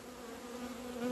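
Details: Close honey bee buzz during the first sunny outing in two months, 17 February 2020; loud, smooth droning hum with a strong low tone and overtone, swelling slightly toward the end as a bee passes nearer.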